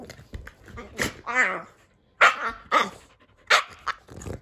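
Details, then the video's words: Boston Terrier at play with his fluffy Keeshond brother; a wavering whiny grunt near one second, then sharp snorting yaps and bursts in uneven succession, with scuffling between. "Goofy Boston Terrier Plays With His Fluffy Keeshond Brother And Makes Funny Sounds"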